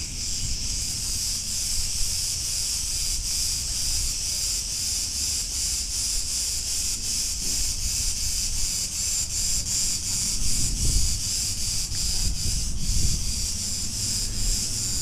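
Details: Cretan cicadas singing in a street of Ierapetra, Crete, Greece: a dense, continuous high buzzing hiss with faint pulsing, over a low rumble of street noise and occasional passing traffic.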